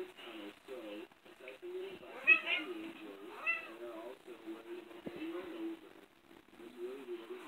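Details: Domestic cats during play, two distinct bending meows rising and dipping in pitch stand out midway, over a lower continuous murmur of voices in a small room.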